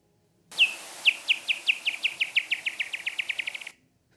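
Pipistrelle bat echolocation, brought down to audible pitch: short falling chirps that quicken steadily as it closes on an insect.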